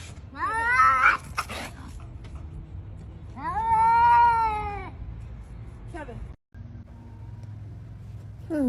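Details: Cat in a confrontation with another cat: short rising-and-falling yowls, then a louder arched howl of about a second and a half, with quieter gaps and faint background noise.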